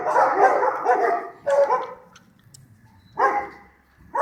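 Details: A pack of stray dogs on a Sarajevo street at night, archival recording: bursts of loud overlapping barking, a quieter gap of about a second, then another bark burst and the start of a further one.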